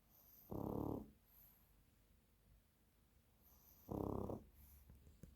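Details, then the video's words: Dog that has dozed off snoring like a piglet: two loud, low, rough snores, each about half a second long and roughly three and a half seconds apart, with faint breathing between them in a quiet room. "ХРАПИТ КАК ПОРОСЕНОК"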